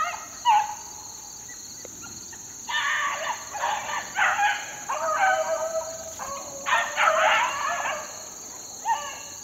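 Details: Young 4-month-old Beagle pups in the wild, being worked on a rabbit, give bursts of overlapping, harmonic, yelping bays with wavering pitch. Quiet gaps separate the bursts, and a steady high hiss runs throughout.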